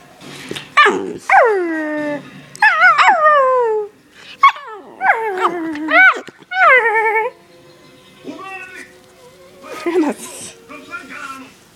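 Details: Daisy, a pet dog said to howl and bark often, gives a run of tonal, yodel-like howls that slide up then fall, mixed with sharp yelps and short barks in bursts over twelve seconds; a person's voice is faintly heard.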